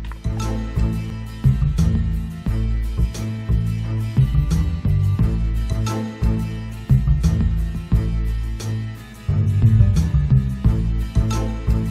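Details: Upbeat plucked-guitar background music with a steady groove plays throughout, and no animal sound is heard.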